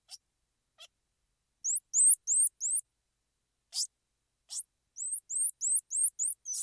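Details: Squirrel monkey chirps: a few faint squeaks, a cluster of four hooked rising chirps, two noisy squeals, then a brisk run of chirps about three per second.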